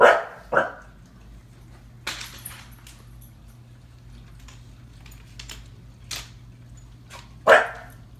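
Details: A female seven-month-old Husky puppy indoors, scared of a clown from the movie IT paused on TV, barks at it. Two quick barks open, a quiet stretch of small clicks and thumps follows, then one more sharp bark near the end over a steady low hum.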